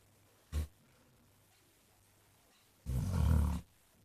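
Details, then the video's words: A sleeping basset hound named Jack gives a brief low snort, then after a silence one long, deep, gravelly snore lasting under a second. "Snoring basset hound thinks he's Elvis"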